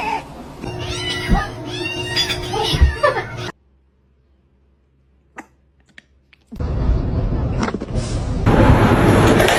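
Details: Kitten meowing and crying in a quick series of short, high, falling squeals, then a silent gap before a burst of loud noisy rustling and handling sounds.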